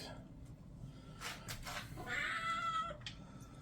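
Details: Creamsicle kitten protesting while being bathed: one long, strained, slightly falling meow near the end, preceded by splashing and rustling, with a woman's voice nearby.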